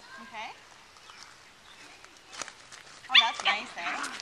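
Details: Nine-week-old Welsh Terrier puppy on a lead, excited, with its sister nearby on a deck: a short high whining yelp early on, then a burst of shrill, harmonic yaps near the end, mixed with a man's voice giving directions.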